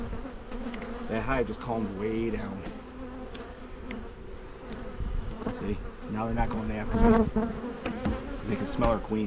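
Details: Hive of Carniolan honey bees in Michigan during splitting to prevent swarming: a constant droning hum with several rising and falling buzzes from bees circling near, growing louder toward the end.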